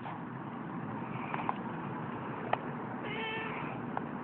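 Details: Seal point Siamese cat uttering one brief, level meow near the end, with a soft background rumble and a few light taps.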